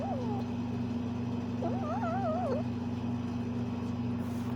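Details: A Bengal kitten, playing, gives a short bending call at the start and then one longer warbling, wavy trill around the middle, set against a persistent low droning hum.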